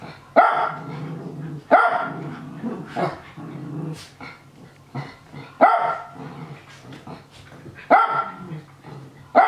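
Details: Japanese Spitz indoors, barking happily while younger dogs play-fight nearby. Sharp, loud barks come singly or in quick pairs about every one to two seconds, with soft scuffling and lower growly noises from the tussling dogs between them.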